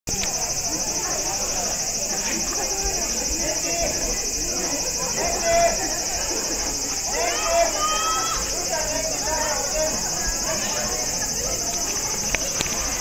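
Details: Cicadas in Kamakura keep up a continuous, shrill, buzzing hiss throughout, with voices of people chatting nearby coming and going.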